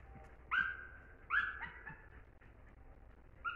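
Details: German Hunting Terrier producing three clear, drawn-out high whines, the first two close together and slightly falling, the last a brief one after a pause; a low background hum continues.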